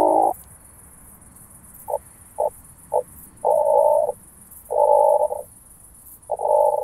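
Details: Oak bush-cricket in Starnberg, Germany, 18 July 2023, made audible through a Pettersson D 100 ultrasound detector: low, even buzzing bursts. Four brief taps come between longer half-second to one-second buzzes, with a steady faint hiss behind.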